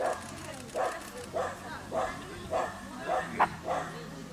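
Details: Dachshund tied to a rabbit, barking rhythmically about every half second, each bark short and mid-pitched, one slightly louder near the end, with a low background hum.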